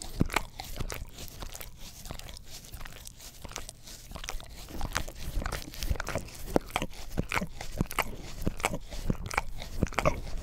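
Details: Close recording on a Blue Yeti stereo microphone of an English Cream Golden Retriever working its tongue over a cleaning brush: rapid, uneven wet smacks, roughly one or two each second, with deeper thuddy lapping.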